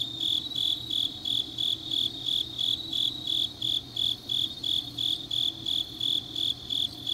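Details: Grass insects singing on a deep autumn night in Changnyeong, South Gyeongsang, Korea: high, ringing chirps near 4k pulsed steadily about three times a second, with layered overlapping callers and a faint low hum beneath.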